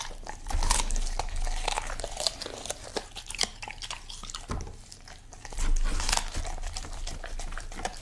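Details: Koko, a Golden Retriever, chewing vegetables in a small room, producing rapid, uneven crunches and bites with crinkling noises between mouthfuls.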